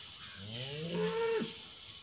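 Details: Cow mooing once: a low, rising, harmonic moo that swells, holds briefly and breaks off, over a steady hiss of background noise.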